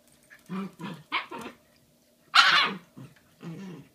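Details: A female Shiba Inu puppy named Bowie, nearly five months old, with her giant Valentine's Day bone, February 2016: low grumbling vocal pulses, one sharp loud whining yelp midway, then more soft grumbles.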